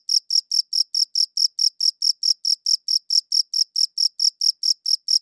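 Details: Cricket chirping, captured on a good audio recorder: a steady train of short, bright, high-pitched pulses, roughly four to five per second, evenly spaced against a completely silent background.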